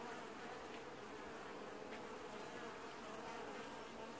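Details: Washboarding honey bee colony in an apiary during early July 2019, producing a thick, unwavering buzz of many wings, dense and constant from start to finish.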